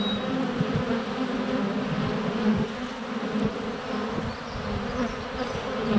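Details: Low, continuous humming of honey bees flying close around a GoPro set less than a foot from their hive entrance during sunny February days, with small landing thumps and a faint high whistle at the start.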